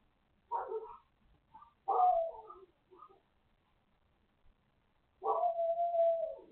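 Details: A neighbor's dog barking indoors: two short, sharp barks, each followed by softer yips, then a long drawn-out bark that trails into a whining, howl-like tone lasting about a second and a half.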